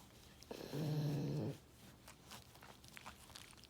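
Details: Pet dog indoors in a small room making a soft, low, buzzy vocal noise lasting under a second, with faint harmonic bands, followed by quiet room rustles and a hummed human murmur.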